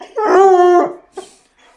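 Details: A Bluetick Coonhound, teased with her leash to make her howl, gives a short, steady, mid-pitched howl, wanting to go for a walk.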